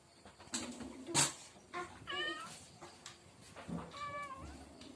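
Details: Cat meowing indoors: several short nasal meows, two clearer drawn-out mews with bending tones near the middle and end, mixed with rustling and clicking handling noises.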